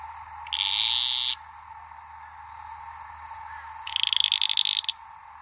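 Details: Sedge frogs in a fight at Maleny, Queensland; two separated high buzzy calls, one a smooth sustained buzz lasting under a second, the other a choppy pulsed rattle, over a steady high chorus drone.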